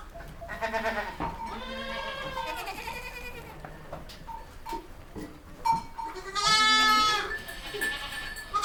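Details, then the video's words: Baby goats bleating: several overlapping wavering, nasal bleats with rich harmonics, some long and quavering, a loud high bleat near the end, short clicks and knocks between calls. "Goat sound video | Baby goat sounds | Goat bah sound"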